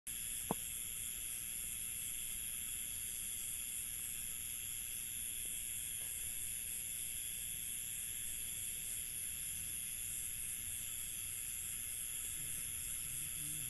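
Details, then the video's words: Crickets at night in an Indian village, a steady layered high chorus of continuous shrill trilling bands with a fine pulsing texture, one sharp click early on, low rumbling background hiss beneath. "INDIAN Village Night Ambience 003 | Crickets"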